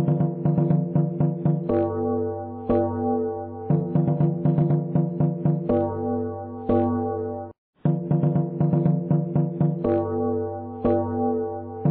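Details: Cheerful plucked synth and keyboard melody with steady bouncing notes and a brief pause near the middle; only music, no animal voice.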